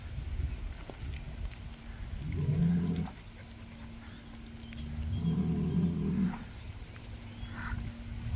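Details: Rubia Gallega cow rejoining the herd as the group readjusts its hierarchy, outdoors on a farm; two low, drawn-out moos about three seconds apart, each lasting roughly a second, over steady rural background hum.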